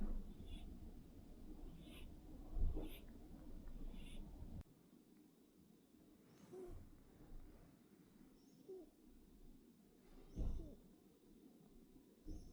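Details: Sleeping kittens snoring softly indoors, low rasping breaths swelling every few seconds with stronger puffs near the third and tenth seconds over a quiet room hum.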